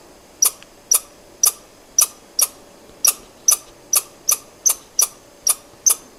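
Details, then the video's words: Sparser squirrel calling: loud single and paired sharp clicks with a high ringing edge, spaced about half a second apart, in an otherwise quiet setting. "Squirrel sound"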